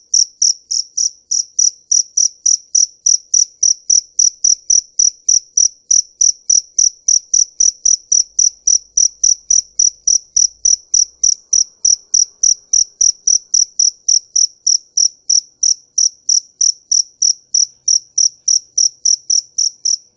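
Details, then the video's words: Continuous high-pitched cricket chirping, evenly spaced pulses around three or four per second for twenty seconds without a break, clean with nothing else audible. "Tiếng Dế Kêu"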